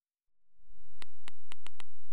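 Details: A sperm whale clicks out a coda of five sharp, evenly spaced knocks, part of an exchange between two sperm whales whose click-bundle codas are used to communicate.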